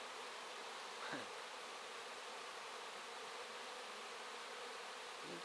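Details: Honey bees in large numbers cleaning wax, roughly two hours after it was set out; a thick continuous buzzing hum with one short low droning pass of a single bee near the microphone.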